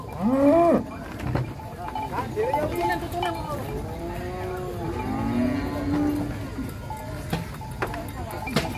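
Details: Giant contest cattle stepping down from a truck, a short rising moo at the start, then a series of arching, wavering lows from several cows among faint clatter and voices.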